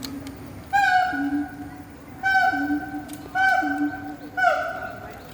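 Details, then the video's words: A siamang at Rainforest Wild Asia, Singapore, sings loud, ringing, harmonic whoops in bursts about a second apart, singing to strengthen its bonds. "Siamang singing loudly at Rainforest Wild Asia Singapore"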